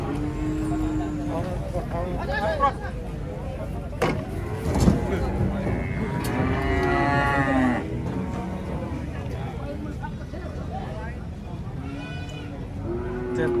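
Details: Cattle being unloaded from a truck, with several overlapping lowing moos, one stretched, rising and falling call in the middle, mixed with knocks, clatter and a constant low engine hum.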